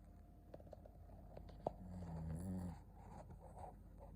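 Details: Shih Tzu named Ponta asleep indoors, giving one low, rumbling snore that swells and fades over about a second in a quiet room.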